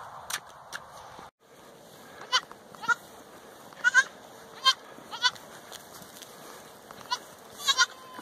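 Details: Baby Boer goats on a family farm: short, nasal bleats in scattered bursts, some doubled, over a low background hiss with a faint person's voice at the start.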